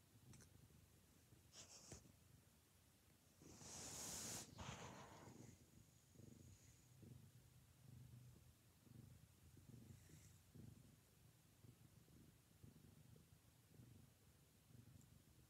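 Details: Four-month-old black and white female foster kitten, born to a feral mother, snuggling and very social: a soft, steady, low pulsing purr running throughout, with a brief rustling burst near the start.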